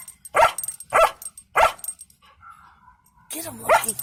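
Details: A German Shepherd puppy in a truck queued at a scrapyard gives three sharp, mid-pitched barks about half a second apart at people by a fence, then a person speaks; an unseen small dog yaps nearby.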